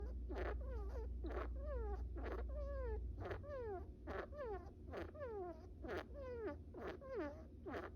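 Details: Bippo, a small pet brown rat, naps and makes goofy little snores: downward-sliding tonal squeaks, each with a sharp click, about two per second over a low indoor hum.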